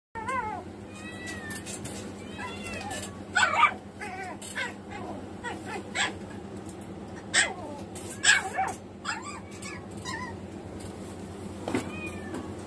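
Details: Newborn Samoyed puppies, a litter of six born on the morning of May 14 to their mother at a pet shop; thin rising and falling squeaky whines repeat throughout, with a few louder sharp squeals and a low steady hum beneath.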